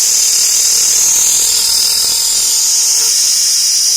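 An insect gives a loud, steady, high-pitched buzz, shrill and unbroken like a drill.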